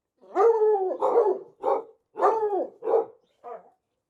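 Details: Studio recording of a dog giving six drawn-out, rough barks in irregular succession, some longer and falling in pitch at the end, the last one shorter and quieter.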